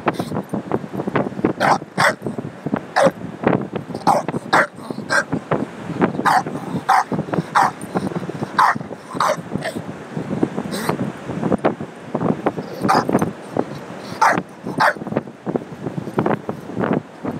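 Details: Bulldog at Ocean Beach, San Francisco, mad at a tire he discovered, phone-app recording: a long stretch of repeated short, hoarse barks every second or so, mixed with constant snorting, panting grunts and growls.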